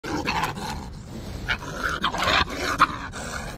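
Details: 7 A gray fox caught in a trap on a farm, faced with a control pole, gives harsh, raspy growls and sharp screechy bursts in defensive threat.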